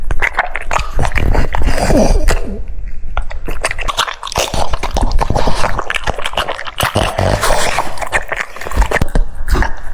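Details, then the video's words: French Bulldog eating cucumbers: dense, wet crunching and smacking bites follow one another rapidly for ten seconds, with a few brief sniffs and a faint whimpering squeak near the start. "The sound of chewing cucumbers"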